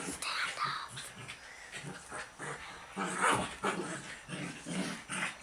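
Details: Buddha, a pet dog, playing wild with visiting girls in their usual ten-minute romp; rough, breathy growls and snuffling bursts come in uneven pulses, with girls' voices and laughter mixed through.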